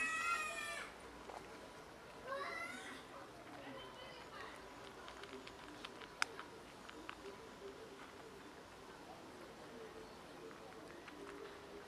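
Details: One of two pet cats asking for food: a sharp, loud meow, a second wavering meow about two seconds later, then soft clicks and light rustling in a quiet room.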